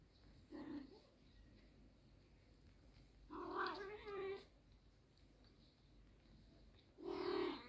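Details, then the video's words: British Shorthair mother cat with her kitten indoors; three drawn-out meows with rich harmonics, the middle one longest and wavering, separated by quiet pauses of about three seconds. "Anne kedi yavru kedi"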